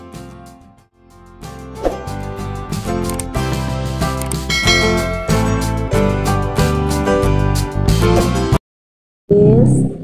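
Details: Rhythmic instrumental music plays throughout, with a brief gap and a short burst of voice near the end; no animal calls are heard.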